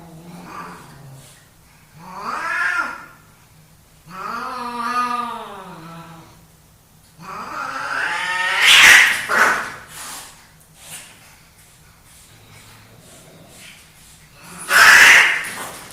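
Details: Two male pet cats fighting for dominance: long, wavering, harmonic yowls rise and fall over the first six seconds, followed by harsh, noisy spitting bursts near nine and fifteen seconds, with quiet gaps between.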